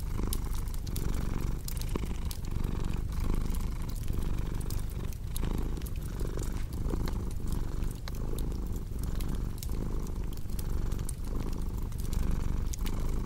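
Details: Domestic cat purring steadily and low, pulsing in even breath cycles about every three quarters of a second, mixed with a cozy crackling fireplace whose sharp pops and snaps sound throughout.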